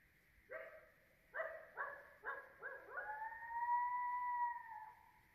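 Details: Coyotes (Canis latrans) in a suburban neighbourhood around 3 a.m., heard just outside a bedroom window: a pack calling to one another, a run of sharp, broken yips, then one long, smooth howl.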